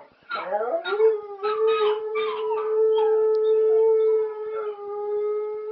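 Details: Domestic dog howling along indoors to the song Telephone Line by ELO: a long steady held tone with rich harmonics, preceded by broken yelping onsets and sliding notes.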